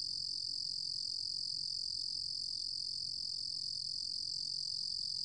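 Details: A Ruru-gom cricket gives a steady, high-pitched continuous trill with a faint low rumble behind it.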